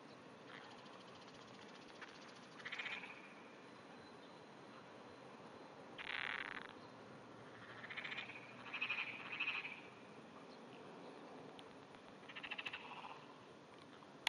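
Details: A Japanese wrinkled frog calls at 5:30 AM on 16 June 2009 from under grass, giving short, rasping, clacking, trembling bursts of small calls over a steady background hiss.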